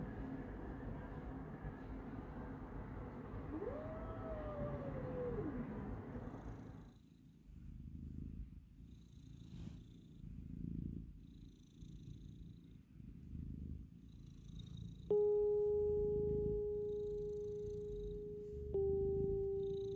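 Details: Stray mother cat, rescued while pregnant and hungry, with her four newborn kittens in Istanbul. One drawn-out, arching meow rises and falls over a steady, rhythmic low purring. A loud, steady electronic tone sounds near the end.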